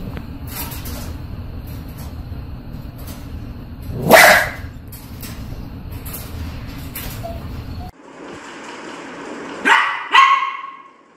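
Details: Dog confronting its mirror image indoors with a steady background hum; one strong bark near the middle, then after a cut two more yelping barks close together as the hum fades.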